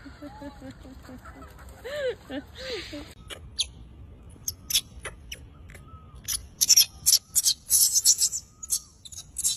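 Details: Baby wild macaque crying loudly after being bullied by its mother: a run of arched, wavering, harmonic-rich wails over the first three seconds, followed by sharp dry clicks and taps that dominate the rest.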